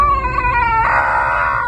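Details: A deaf male Dogo Argentino in southern Germany tries to bark but gives a strange, drawn-out wailing note instead. He was once picked up running on a highway and taken to a shelter.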